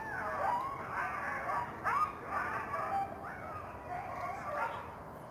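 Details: Wild coyotes yip and yap from a forest at night under the September full moon. An overlapping chorus of quavering, rising-and-falling yelps and short barks repeats every second or so, heard from a distance.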